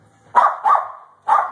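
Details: Japanese Spitz dog playing with a clothes pin indoors, giving three sharp, bright barks: two in quick succession, then a third after a short pause.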